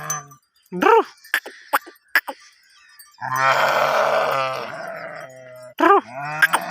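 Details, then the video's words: Sheep herd at mating season: bell clinks open, then a loud, long, harsh bleat rising and fading over about two seconds, with another bell ringing close at the end. "sheep herd sound effect / sheep mating"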